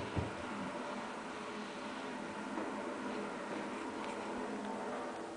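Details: Steady broadband hiss like a fan or running machinery indoors, with no animal voices.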